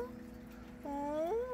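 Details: Emaciated stray Korean shorthair cat calling for help from under a deck; one clear drawn-out meow that rises, dips and swells upward again, with faint music behind.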